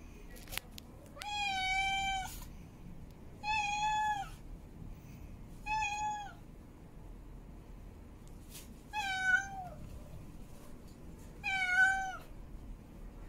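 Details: Mate-calling meows from a female cat in heat: five long, harmonic-rich wails spaced a few seconds apart, steady in pitch with slight falling tails, over a quiet low rumble.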